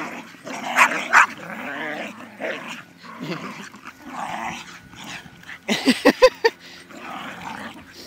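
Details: Jack Russell and Staffy playing tug of toy while a Jack Russell cross Chow looks on: low rumbling play growls throughout, a run of short sharp yips near the end, with soft household background.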